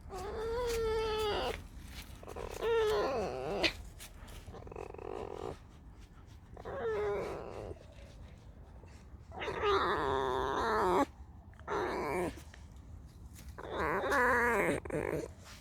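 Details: A pet female fox, just woken after sleeping all day and come to be scratched, 'creaks' and complains while stroked: bursts of high, squeaky, wavering whines with short pauses, a person speaking faintly.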